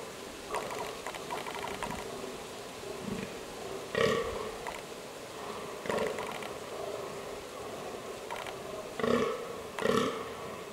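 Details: A fallow deer in the Biele Karpaty (White Carpathians) gives deep, belching grunts in short bursts a few seconds apart.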